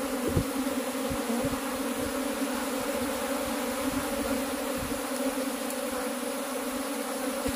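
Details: Honey bees at a cultivated hive, kept while the beekeeper searches for the queen. A steady, dense droning hum holds low and even throughout, with faint soft knocks underneath.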